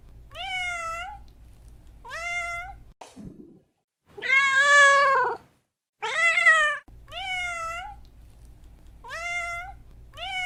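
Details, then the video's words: Meows of a domestic cat: short rising calls, then two louder, longer, drawn-out meows with a wavering pitch, followed by more short meows, all over a faint low hum. "Som de Gato, Gato miando"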